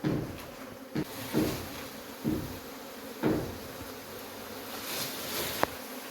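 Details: Honey bees at a hive being removed; a dense continuous hum of many bees, broken by loud whooshing bursts and knocks from the handling, with a sharp click near the end.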